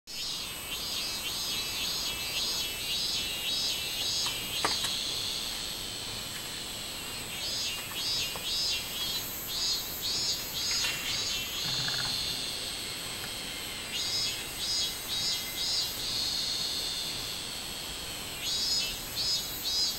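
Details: Robust cicada singing on 24 July 2016: rows of pulsed, high buzzy notes repeated rapidly in bursts of several seconds, over a steady shrill insect drone, with short pauses between phrases.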